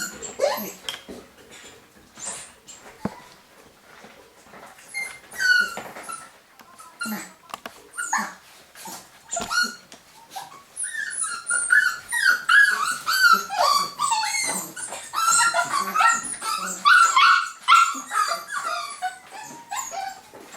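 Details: Young golden Cavapoo puppies from a UK litter, 2015: soft scattered squeaks and shuffling at first, building after about ten seconds into a dense overlapping chorus of thin, high whimpers and yelps from several pups.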